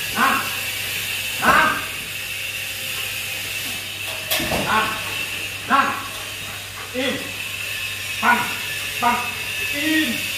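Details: Big 47 kg Belgian Malinois in training at a Saigon kennel gives a string of abrupt, punchy barks, some doubled, spaced irregularly over ten seconds. A steady hum and a trainer's Vietnamese commands run underneath.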